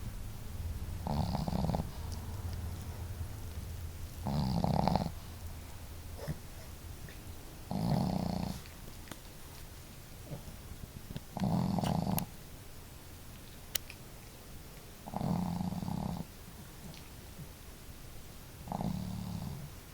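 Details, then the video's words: Two pet dogs snoring together indoors, one female with a hearty, loud snore and the other snoring more softly; low rasping snores come in rhythmic bursts roughly every three to four seconds, with quieter breaths and faint clicks between them. "可愛いイビキ snore"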